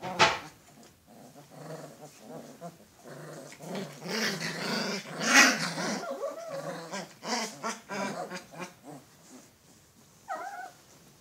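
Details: Alaskan Malamute pups growling and grumbling together, continuous low rough vocal sounds rising in intensity around the middle, with a brief higher yelp near the end.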